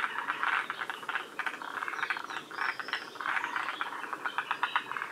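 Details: Forest green tree frogs in a northern-limit population at Shiriya, Aomori, forming a dense overlapping chorus of clicking, rattling pulsed calls and grating croaks with no break.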